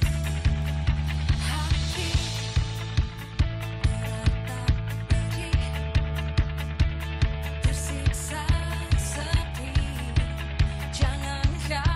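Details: Loud rock music with a heavy, steady drumbeat and deep bass; no animal sounds stand out.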